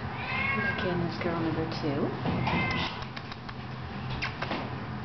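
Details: Kittens 18 days old, 24 February 2009: a run of quick, wavering, overlapping mews rising and falling in pitch, with a person talking softly over them against a low background hum.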